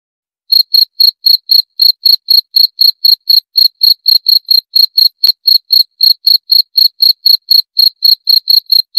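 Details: Cricket chirping steadily, sharp high-pitched pulses repeated about four times per second with a faint ringing overtone, clean and loud with no other sounds in the background.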